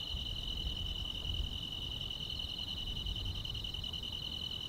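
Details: Grass insects chirping through a quiet countryside summer night, heard as a single steady high-pitched trill that never breaks, with only a low murmur of distant background noise beneath it.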